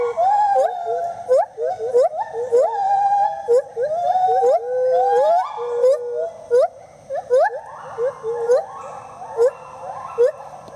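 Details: Speedy and Maui, rescued gibbons at IPPL in South Carolina, singing a duet: rapid chains of rising and falling hoots with quavering upsweeps, building into higher stepped wails, punctuated by brief sharp clicks.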